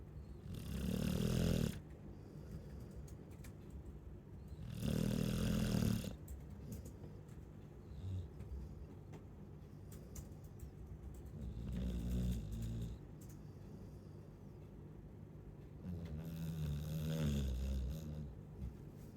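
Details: Four rough, rumbling snores from a Chow Chow come every four to five seconds. The first two are loud and the later two are softer, with near silence between breaths.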